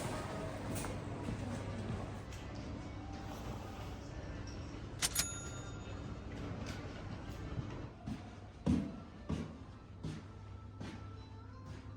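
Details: Soft background music and quiet speech, with sharp clicks and knocks like a door or latch, but no animal calls.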